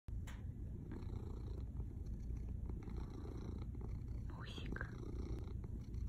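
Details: Male pet cat purring very hard indoors: a steady, deep, rumbling low drone runs through the whole stretch, while a woman talks softly to him in Russian, with a brief higher sound near the end.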